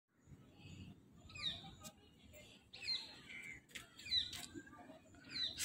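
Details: Squirrel monkey at Vandalur Zoo, captive, giving a series of high, thin chirps that sweep downward in short bursts about once a second, over a steady low rumble of background noise.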